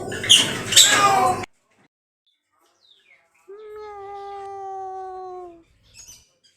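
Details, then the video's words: Cat gives one long, steady meow lasting about two seconds, slightly falling at the end, after a burst of human speech at the start. "Cat Meowing Sound | cat sounds | Cat meowing loudly"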